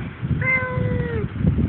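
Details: One-year-old female house cat uttering a single clear meow of just under a second, held level and then sliding downward at the end, against low background noise.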